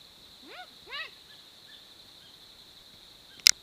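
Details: Bushbaby giving two short arched calls about half a second apart, followed by a long pause filled with a constant shrill insect hum and a sharp click near the end.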